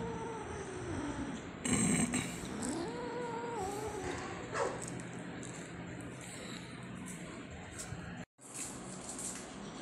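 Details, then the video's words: Spot the angry kitten lets out a brief wavering growl and a rising moan amid rustling and clattering handling noise, with a short cut near the end. "Spot, The Angry Kitten"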